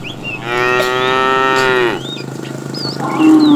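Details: Fat cow among a tame herd driven in the afternoon, calling the female. A strong, drawn-out harmonic moo of roughly one and a half seconds, then the start of another lowing call, with faint bird whistles overhead.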